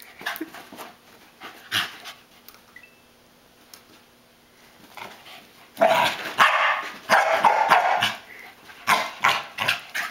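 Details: A corgi chasing a flashlight beam and running in tight circles lets out bursts of sharp, excited barks and yips in quick succession.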